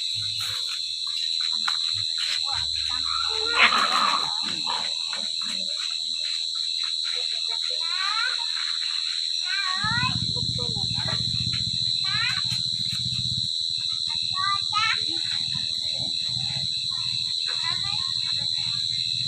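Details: Crickets calling at night during a cricket-catching outing in the countryside; a steady, high continuous trill runs throughout, while people talk in Vietnamese and make brief handling noises and low rumbles.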